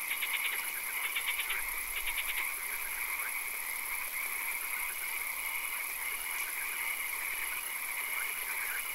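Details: Swamp frogs at night: rapid rattling bursts of pulsed croaks, repeated about every half second early on, rise over a dense trilling chorus and a steady high-pitched hum.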